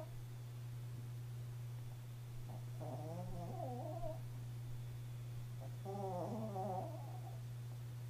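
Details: Sleeping pet Chihuahua snoring, with two drawn-out, wavering, squeaky nasal breaths about three seconds apart, set against a constant low hum in a quiet room.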